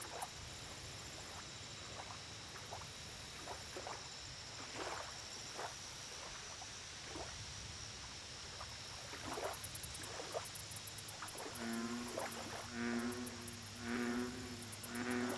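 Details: American bullfrog near the end, uttering four deep, resonant, harmonic notes in quick succession, each about half a second long. Before them, a long stretch of scattered clicks and croaks from smaller frogs runs over a constant high insect whine.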